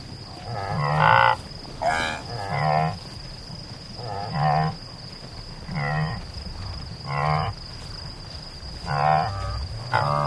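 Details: Antelope giving lowing, nasal grunts spaced irregularly every one to two seconds, some quieter and more distant, against a soft background hiss and a steady high-pitched tone.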